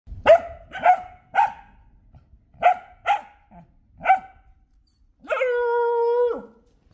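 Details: Street dogs fighting in a street area: six sharp, harsh barks in quick bursts, then a long, steady, whining howl-like cry lasting about a second.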